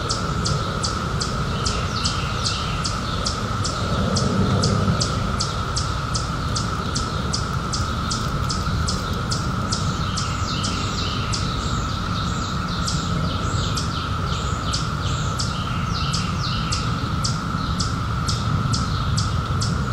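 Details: Cicadas, described as emerging in 2021 from seventeen years of hiding, keep up a level, ringing buzz the whole time while fast, regular ticking pulses stream above it and a dull low rumble fills the background.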